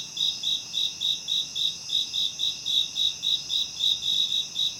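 Crickets chirp in a steady, high-pitched pulse, nearly four chirps each second.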